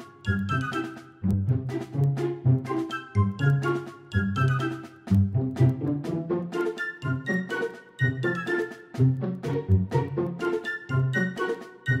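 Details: Bouncy, jingly children's-style tune with repeating plucked phrases and pauses between bars, with no animal calls.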